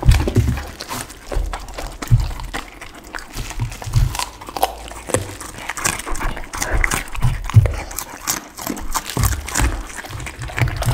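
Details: Pit bull at lunch on raw chicken, duck and cauliflower, indoors, recorded close for ASMR; steady crunching and wet biting with deep thumps, irregular rhythm throughout.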